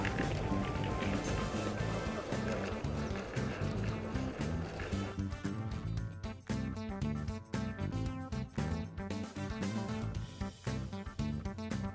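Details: Upbeat instrumental music with rhythmic percussion fills the recording, and no animal voice can be picked out.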